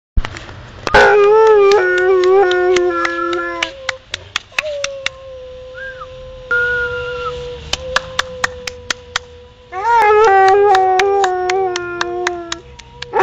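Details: Alaskan Malamute singing, howling in long, rich, wavering tones, its voice sliding and dipping between held notes, with music in the background; Alaskan Malamute.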